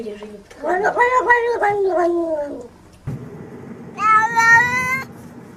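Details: Domestic cat making a long, wavering, drawn-out meow with a falling end, followed after a pause by a second, higher, bright meow lasting about a second. A person talks softly in between.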